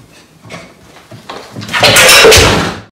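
A caracal gives a loud, breathy hiss that swells suddenly after a few soft, scuffling sounds.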